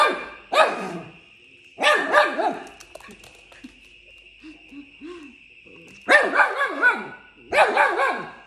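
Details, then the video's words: Young Fox Terrier puppy fighting in play with a second dog, giving four loud bursts of rough growls and sharp barks separated by quieter gaps with soft whimpers, a constant high tone in the background. "Puppy Fox Terrier Zuza fighting with Tin"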